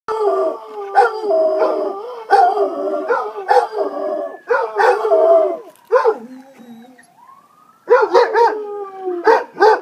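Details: Two pet Basset Hounds howling in response to an ambulance siren; long wavering mid-pitched howls with rich harmonics, overlapping and broken by short yelps, a rising siren tone audible in a quieter gap near the end.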